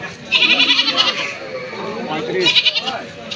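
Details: Goats at the Dinajpur rail market haat in Bangladesh: two quavering, nasal bleats, the first lasting nearly a second and the second shorter, heard over steady crowd chatter and people bargaining over prices.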